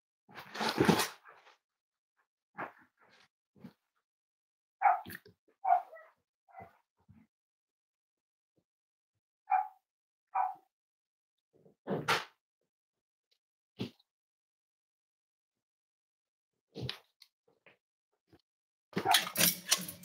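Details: Cavalier King Charles Spaniel indoors at Red Barn Cavaliers kennel on a chilly morning, around a litter of five-week-old puppies: brief scattered yips and short barks spaced by silences, with sharp knocks and louder broadband bursts at the start and end.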